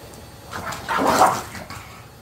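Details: An English Bulldog, in a tussle over chicken breast, lets out a brief, raspy, snorting growl-like grunt that swells and fades within half a second, amid softer snuffles and wet, splashy sounds.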